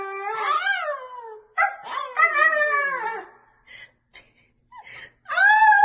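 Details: Siberian Husky howling in rising-and-falling arched notes, two longer swooping phrases followed by short clipped yips and a final bright rising cry, with quiet gaps between.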